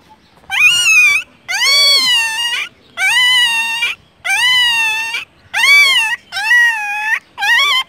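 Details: Newborn puppies, one of four found by a roadside before their mother appeared, crying in a series of seven loud, high, wavering whines. Each lasts under a second, with short silent gaps between cries.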